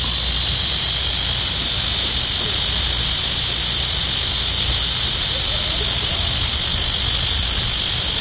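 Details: Cicadas in full chorus in the height of summer during a nationwide heatwave in Korea, remarkably loud; a dense, unbroken high buzzing hiss held steady throughout, with faint low rumble beneath.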